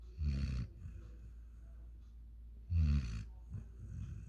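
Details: Snores from Rocky, a five-month-old German Shepherd and African Boerboel cross, fast asleep: two low, guttural inhaled rumbles roughly two and a half seconds apart, with soft breathy sounds in between.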